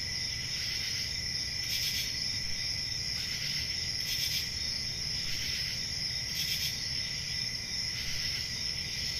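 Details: Country summer night crickets trilling without pause in high, thin, ringing tones, with louder pulsed chirp bursts standing out roughly every one and a half to two seconds above faint low background noise.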